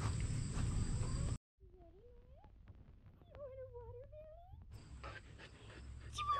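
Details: Female Siberian Husky, with her sister, trying watermelon as a new food; thin tonal whines that waver up and down, a few rising sweeps over about three seconds between bursts of louder background rumble.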